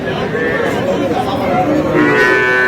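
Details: Sahiwal calf at a cattle market, giving a drawn-out, low harmonic moo that swells louder toward the end, over steady crowd chatter and a man's voice.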